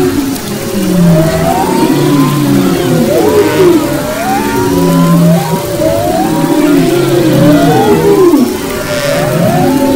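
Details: Humpback whale song off Maui, February 2011: a series of upswept whooping calls repeated roughly every second, layered over lower droning moans and constant deep underwater rumble.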